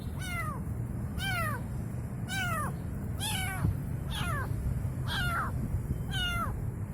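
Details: Young kitten mewing for its mother, seven high, downward-curving meows at slightly irregular intervals of about one second, with a faint click midway and low background noise.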